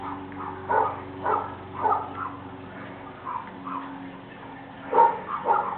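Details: A male Razoredge pit bull and a small Jack Russell terrier protecting their home, giving irregular clusters of sharp barks with a brief lull midway, a constant low hum running underneath.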